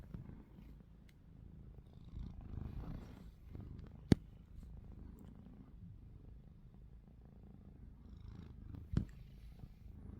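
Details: Pet cat Ruby snores with open eyes: a steady low rumble rising and falling in slow waves, broken by two sharp clicks near four and nine seconds.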